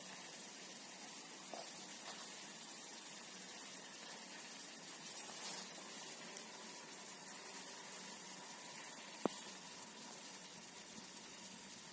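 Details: Soft broadband hiss like running or boiling water, with a couple of faint clicks and no animal voice.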